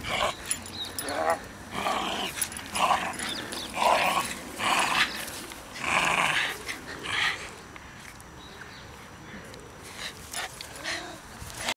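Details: A Shiba Inu playing with new toys at Kenwood House on 23 October 2011 gives bursts of harsh, growly play vocalizations, repeated roughly once a second.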